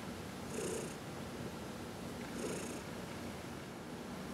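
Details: Indoor house cat purring as it is massaged; a rumbling purr with two breathy inhale-exhale surges about two seconds apart.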